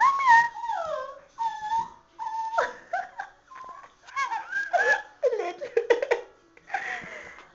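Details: Chihuahua stuck in a bathtub, unable to climb out, whimpering: high, whined tones that slide downward, repeated in short bursts, while people talk and call encouragement in Dutch and English nearby.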